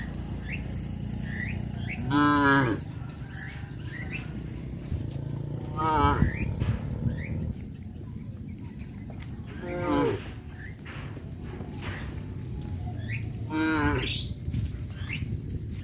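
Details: Cows being led to their pen by a farmer in the evening: four drawn-out, harmonic moos spaced about every four seconds, with a low rumbling background and faint bird chirps.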